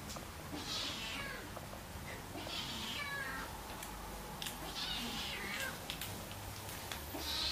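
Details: Siamese kittens indoors in August 2009, three-month-old Keiko moving in with her one-year-old half-brother Zen; high, drawn-out meows recur every couple of seconds over steady low room hum, with faint clicks between.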